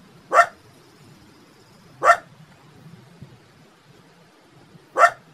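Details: Cute puppy or small dog giving three single sharp barks spaced about two seconds apart over a low steady background hum.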